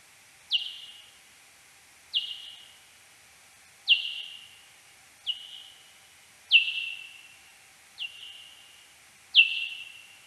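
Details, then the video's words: Serotine bat search-phase echolocation calls in a wooded garden in central France, 13 April 2022, slowed ten times: seven steep downward sweeps flattening into a long tail, spaced about one and a half seconds apart, over quiet background. "Eptesicus serotinus search phase calls"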